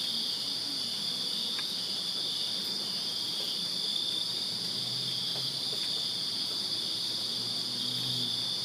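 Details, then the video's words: Crickets chirping in a backyard on a summer night in Virginia: a steady, unbroken high-pitched trill with a fainter, even higher shimmer above it. A soft low rumble and faint hum sit underneath. "Crickets Chirping Summer Night in Virginia"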